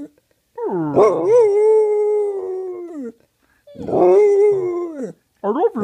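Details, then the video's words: Penny the dog gives two long, steady lazy howls, each starting with a quick upward bend and holding a flat tone for over a second, followed by a brief third yodel-like rise. "Penny howls lazily and says I love you"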